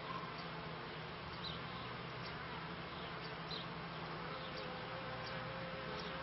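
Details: Steady massed hum of beekeeping honey bees, recorded between the 1995 and 1996 seasons, with a low droning layer, a thin tone late on and light ticking sounds over the buzz.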